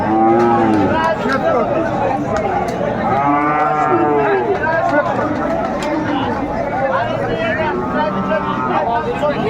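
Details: Bull calves, Friesian and crossbred, calling at the Ambari Haat livestock market in Dinajpur, Bangladesh, on 22 April 2024; a long arched moo opens, another swells near four seconds, over a constant din of market voices.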